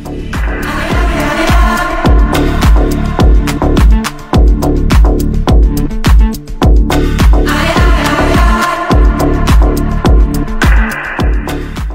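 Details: Loud upbeat disco-style pop music with a strong regular beat and no animal voice.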